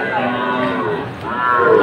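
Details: At a Faridpur cattle market on 1 June 2024, a Sahiwal-breed bull is being bought: a steady tonal bellow that dips midway, then swells again louder toward the end, over background chatter.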